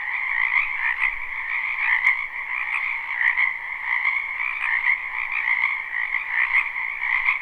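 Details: Frogs croaking together in a spring wetland near a house, recorded live: an unbroken, shimmering chorus of rapid trills in two pitch layers, with faint clicks standing out now and then.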